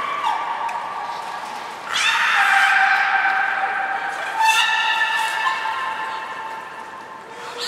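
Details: Aquarium belugas at Port of Nagoya Public Aquarium during a 1 December 2019 training session featuring Hodoi, Gray and Mirai; mewing, harmonic tones swelling in two loud bursts, sustained and wavering, fading to quieter tones at the end.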